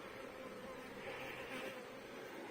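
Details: Dense buzzing of honey bees at an open hive during a week-seven inspection, with a laying queen, plenty of brood and drawn comb; continuous even hum of many bees with no other sounds.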